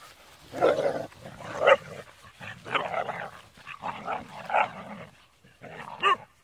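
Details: Rhodesian Ridgeback puppies, several of them in a pack, playing rough: harsh growling and gruff bark-like bursts come in uneven clusters about once a second, with short quiet gaps between scuffles.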